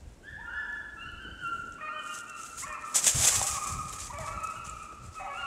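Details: Two beagles, Daisy and Violet, in hot pursuit of a snowshoe hare at a remote hunting spot in the Allegheny National Forest, northern Pennsylvania, with no snow. They give overlapping drawn-out tonal bays, and a brief louder burst of noise comes midway.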